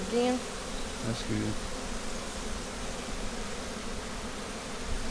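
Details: Low, dense colony hum from a honey bee split being inspected in mid-April 2017. The queen was moved to a five-frame nuc with nurse bees to slow laying and prevent swarming. A brief voice fragment opens the clip.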